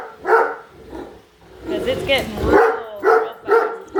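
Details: Padme, a Great Dane, barking at a new Roomba she dislikes, following it around the house; a few separate loud barks with a stretch of human speech and vacuum noise in the middle.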